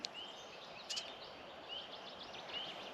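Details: Spring peepers at a wetland in the Reilly Bird Sanctuary, Ottawa Valley, on a May 4 morning between 6 and 7 give high, short upslurred peeps about once a second over distant hiss, with faint bird calls.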